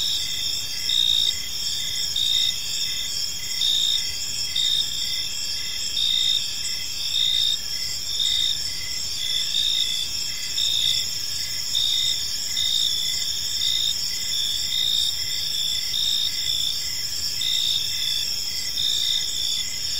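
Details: Park crickets at evening keep up a continuous shrill trill, short bright chirps pulsing close to once a second through the whole stretch, several insects sounding together.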